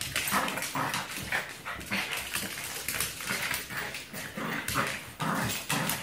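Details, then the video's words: Braun the Yorkie and Dyna the Black Lab play-fight two against one with Molina the French Bulldog, giving gruff rasping growls and quick snarling bursts in close succession, with scuffling noise throughout. "Two Against One"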